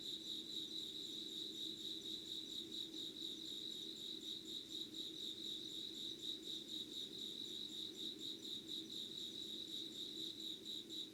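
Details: Crickets and other insects calling in Yugawara, Kanagawa, Japan, before dawn on 25 August 2019, a continuous high pulsed chirping that throbs evenly without pause, layered over a faint low hum.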